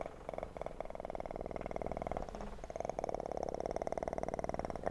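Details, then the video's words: A kitten purring in a relaxing recording: a steady, fast rumbling pulse holds through nearly the whole stretch, with a brief dip around the middle before it resumes evenly. "ASMR kitten purr"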